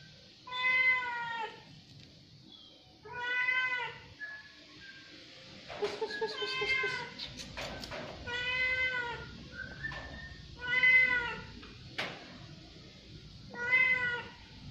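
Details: Orange domestic cat at sahur, the pre-dawn meal, meowing repeatedly: clear harmonic meows roughly every two to three seconds, some drawn out, with light clicks and a steady background hum.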